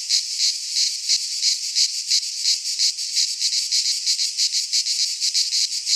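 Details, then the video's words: Cicadas in midsummer in a pine forest in Greece give a high, sizzling buzz with clear pulsing surges, almost three per second, continuous across the short stretch. "Cicadas singing in midsummer"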